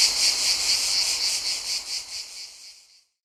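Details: Cicadas in Mediterranean summer ambience give a shrill, high buzzing drone that pulses rapidly, about four throbs each second.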